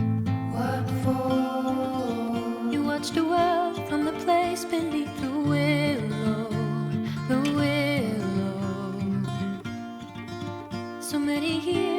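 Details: Guitar-accompanied music with singing plays throughout; no animal sounds are heard.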